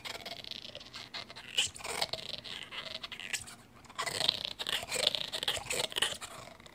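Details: Bulldog named Gaia gnawing away: crisp crunching and scraping clicks, a quieter stretch in the middle, then a louder burst of rapid bites toward the end, in a small indoor room.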